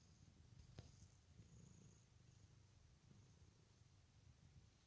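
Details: Ragdoll cats Kyra and Lizzy on a lazy day indoors; a soft, steady low rumbling purr runs through the whole stretch, with a faint brief click near the start and little else around it.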